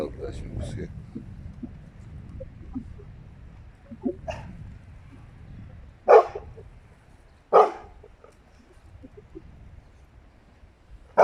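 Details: Jealous household Rottweilers, two females and a male, give a few sharp, separate barks spaced over several seconds, with a person talking quietly and low handling noises in between.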